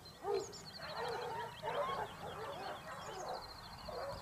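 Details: Hunting Basset Hounds of the Topsfield Lebrera pack, Spain, 2015-16 season. A jumbled chorus of overlapping baying voices rises and falls continuously, with a sharper bay at the start and trilling birdsong in the background.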